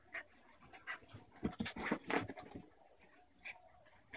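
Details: German shepherd puppy playing with her 6-year-old sister, a Basenji pit bull mix, indoors; scattered short grunts, huffs and whimpery noises amid scuffling, with bursts of clattering and thumping from the rough play.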